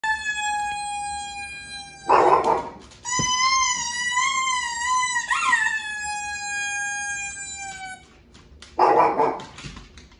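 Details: Winston, a Shih Tzu/Pekingese dog, howling indoors while watching TV: a sustained, wavering, tonal howl lasting several seconds, broken by short noisy bursts.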